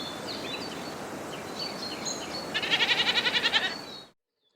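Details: Outdoor birds whistle softly before a goat lets out one shaky, vibrating bleat of about a second, its fast rhythmic tremor clear, then the sound cuts off abruptly into silence.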